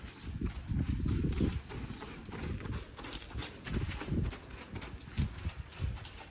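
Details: A two-year-old buckskin Quarter Horse filly being lunged, her hooves landing in dull, low thuds at an uneven pace of roughly three per second, under a constant broad hiss like wind.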